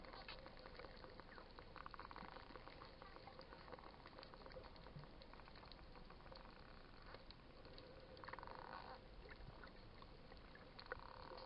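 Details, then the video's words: Underwater dolphins in the wild at Coraya bay near Marsa Alam, Egypt, visiting snorkelers. Rapid clicks crackle through the whole stretch, broken by several buzzy, nasal pulsed bursts lasting about a second each, over constant water hiss. "Wild Dolphins making cute sounds"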